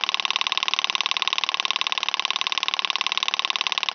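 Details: Stenobothrus rubicundulus, the wing-buzzing toothed grasshopper, recorded at Mala Ucka in Croatia on 26 July 2023, giving an even, rapidly pulsed rattling buzz, close to four pulses a second, sustained without a break for the whole four seconds.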